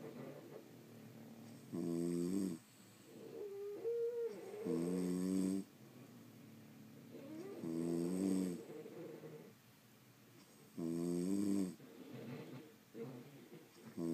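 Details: Sleeping French Bulldogs at home, several dogs recorded over more than an hour, produce rhythmic nasal snores, loud raspy harmonic bursts about every three seconds alternating with quieter whistling and wheezy breaths.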